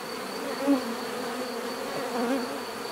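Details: Humming drone of bees, steady and low, with a single bee swelling louder for a moment as it passes near, then the even buzz continuing.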